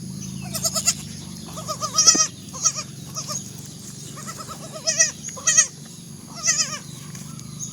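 Young goats bleat in short, wavering, nasal bursts, several voices overlapping at irregular intervals.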